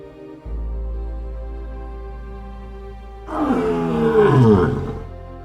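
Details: A lion in the African savanna of South Luangwa, where the dry season runs from May to October, gives one deep, rough roar lasting about a second and a half, sliding downward in pitch, over steady background music.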